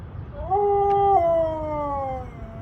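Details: Siberian Husky giving a plaintive howl as its owner comforts it about the warm weather. A single smooth tone swells in, holds for about half a second, then steps down and glides lower before trailing off.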